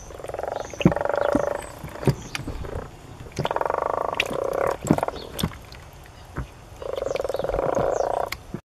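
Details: Common frogs in a garden pond holding dozens of frogs: low, soft, rattling purrs, each burst over a second long, repeated three times with short pauses; faint clicks and knocks between calls.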